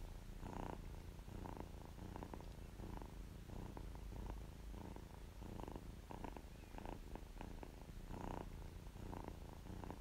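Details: Kitten purring contentedly, a steady low rumbling drone with soft rhythmic pulses, brief brighter crackles recurring about once a second, recorded close up in a quiet indoor setting.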